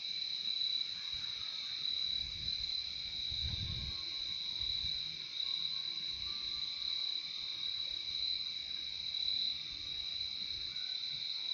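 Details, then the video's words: Crickets in a relaxing nature recording: a steady, unbroken high chirping chorus with two layered pitches running throughout, and a soft low rumble near the middle. "Relaxing sound of crickets"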